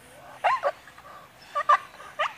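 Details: A male Staffordshire Bull Terrier in a park in Congleton in summer 2016 gives short, high, whiny barks, impatient to chase squirrels up a tree.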